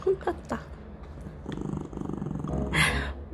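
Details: Young male mixed-breed rescue dog at home, growling after being scolded by its father-owner, fearing another dog will take something: a low pulsing rumble lasting over a second, preceded by soft knocks and ending in a short breathy higher burst.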